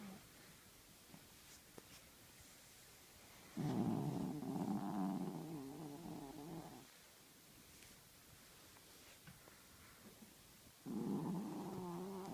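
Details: Sleeping with his eyes open, Tinker Toy the male Chihuahua gives a loud rumbling snore for about three seconds, falls quiet for four seconds, then starts another raspy, harmonic snore near the end.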